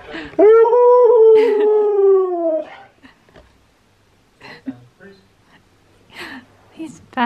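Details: Steel the husky sings while Key, a second husky, watches with curious head tilts. A rising, sustained, rich-toned howl lasts about two seconds. Short scattered vocal bits and voices follow.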